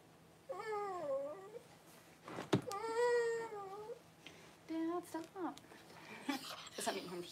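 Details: Newborn Cavalier King Charles Spaniel puppies crying as mother Paris whelps her first pups indoors on January 1. Several loud, tonal, bending wails sound in turn, each under a second long, with a sharp click and brief soft voices between them.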